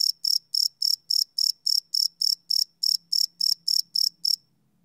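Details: Night-time cricket chirping captured live with a field recorder, fast even pulses of a high ringing trill, roughly three or four per second, stopping abruptly near the end, with a faint low hum underneath.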